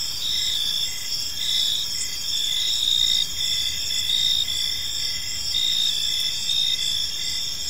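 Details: Crickets in a peaceful park at evening, continuous shrill high trilling overlaid with quick dashed chirps in an even rhythm, a chorus of many insects with nothing else standing out.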